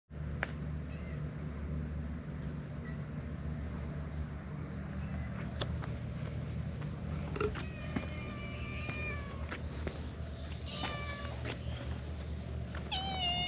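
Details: A Siamese cat, paired with an orange tabby, rubs faces and comes seeking affection, giving a few short, rising meows over a steady low room hum.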